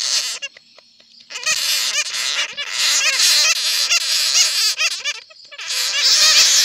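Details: Bats caught in a net give a dense stream of shrill, rapid squeaks and chirps with brief pauses. The recording is used as a lure call.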